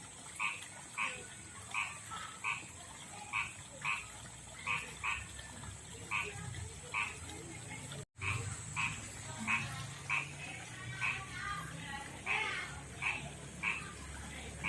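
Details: Rough-skinned male frog living in a backyard pond and river calls to a female with a steady series of short, clipped croaks, brief break partway, later calls overlapping slightly as another frog joins.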